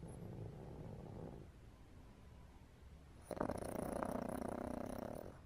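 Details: Napping pug in the afternoon, snoring: soft raspy breathing at first, a quiet pause, then a louder buzzing snore with quick rhythmic pulses that carries on to the end.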